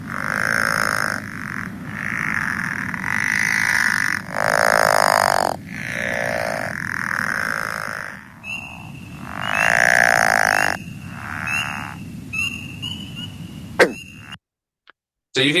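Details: A pickerel frog (Lithobates palustris) gives low, rolling snores about a second long, like a creaking rusty porch swing or screen door; the species calls from mid-March until the end of spring.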